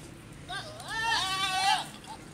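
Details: Goat at mating time letting out one long, tremulous bleat that rises, wobbles and trails off over about a second and a half, followed by a brief faint cry, with low background hum.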